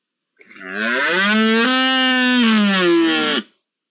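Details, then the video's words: Red deer during the rut in the first week of October: a single drawn-out, rich harmonic roar lasting about three seconds, steady in pitch with a slight rise in the middle, then cut off abruptly. "Berrea en la primera semana de octubre"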